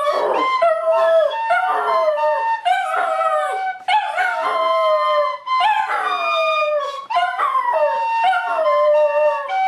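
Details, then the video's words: Max, a Border Terrier, sings along to Silent Night with long, tuneful howls. Each drawn-out note slides down in pitch and is followed by the next after a brief breath, in about eight phrases, with faint music underneath. "Max the Border Terrier sings Silent Night"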